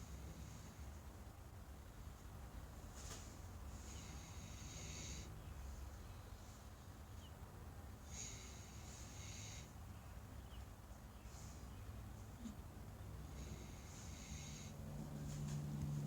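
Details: Breeding trio of American Guinea Hogs asleep at One More Thing Farm: raspy, breathy snores that swell and fade roughly every five seconds, soft snorts in between, over a low steady hum.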